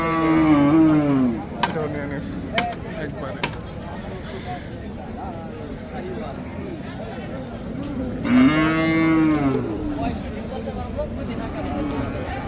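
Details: Large Sahiwal cattle at a rural cattle market in Hazratpur, Bangladesh, sold for Qurbani; two long, deep, wavering moos, one at the start and one after eight seconds, over constant crowd chatter and background noise.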